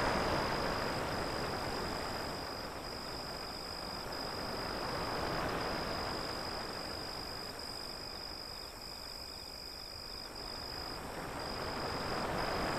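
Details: High cricket chirping continues as a thin, even pulsing line over the roar of breaking waves, with the surf rising and falling in slow surges about every five seconds.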